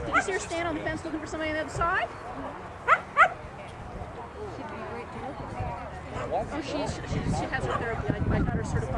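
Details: Shetland Sheepdog named Carmylie Cascabel at an SVKC AKC agility trial on a Saturday. It gives two short, sharp barks in quick succession near the middle. Steady crowd chatter and voices continue throughout.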